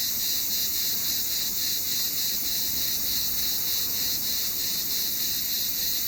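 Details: A cicada in summer makes a loud, shrill buzzing drone, pulsing steadily about every half second.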